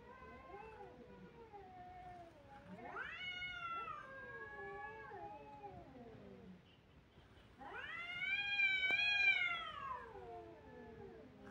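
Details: Kittens crying: a few lower, wavering meows, then two long, loud cries that rise sharply, hold a drawn-out pitch and slide down. Indoors, no other clear sounds.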